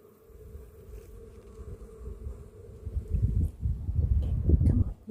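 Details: Honey bees on orientation flights in Texas, flying and falling near a beekeeping site: a steady, low, droning hum runs throughout, overtaken in the second half by loud, rumbling gusts of wind.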